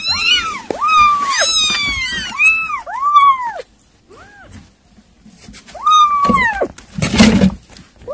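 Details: Kittens at their weaning-food meal let out piercing, overlapping meows, some long and sliding, a brief quiet gap, then more cries and a burst of scraping noise.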